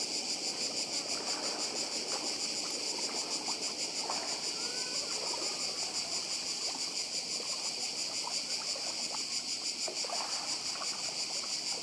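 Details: On Badija island in Croatia, cicadas keep up an unbroken, high, rasping drone with a rapid throb, while a quieter rushing murmur from the sea sits underneath and a few faint short chirps slip in.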